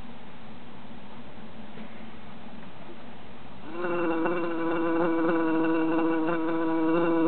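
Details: Three bees trapped in a jar in summer: near-silence for the first half, then a loud, steady droning buzz starts abruptly and keeps going with a slightly wavering pitch and rich overtones.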